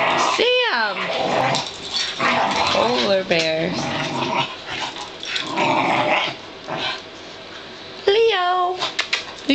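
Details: Two pug-dachshund mix puppies, Sam and Leo, play fighting indoors after one is freed from a blanket: high harmonic yelps and whines near the start and end, rough growling between, with a woman talking excitedly over them.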